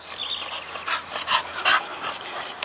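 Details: Old English Bulldogge panting: a handful of breathy, huffing exhalations that grow louder and closer together over a couple of seconds.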